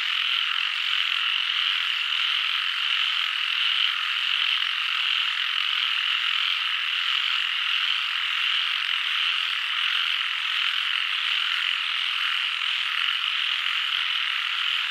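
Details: Many frogs calling together in an unbroken, even chorus of shrill, buzzy trills that holds at one level throughout.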